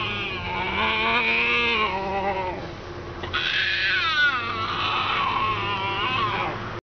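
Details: A hand-reared female striped hyena cub, scared of a person she distrusts, hides and acts defensively, giving wavering, whining squeals that rise and fall in pitch.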